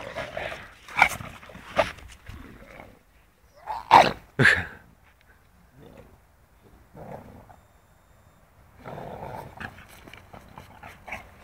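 An English bulldog gives a few short, gruff barks and huffs with quiet pauses between.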